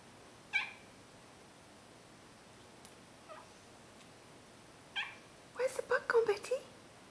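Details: Betty, an Abyssinian tabby cross cat indoors, miaowing at a bug she has spotted in the overhead light: a few short mid-pitched miaows, then a quick burst of chirping, chattering calls near the end, with a person speaking softly.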